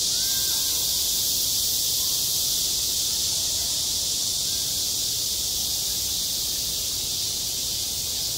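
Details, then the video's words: Midsummer cicada chorus over a school playground, a constant shrill wash of buzzing that never pauses across the whole stretch, steady in loudness, with only faint low background noise underneath. "한 여름 운동장에서 매미가 울고 있다 - 여름의 소리, 학교 종소리, 매미 울음소리"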